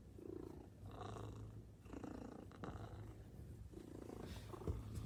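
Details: Indoors by the front door, Maine Coon cats welcoming their owner home give a quiet, even, low purr that drones steadily for several seconds, with faint rustling around it.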